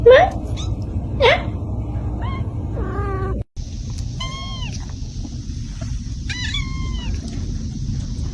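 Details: Kitten meows, first a few squeaky rising cries over steady low hum, then after a short break several clear, downward-curving mews repeated about once a second over a constant background tone.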